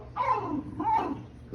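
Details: A pet fox named Lucca, with his buddy Ryatt, gives two whiny, falling yelps, each sliding downward, with a third starting at the end.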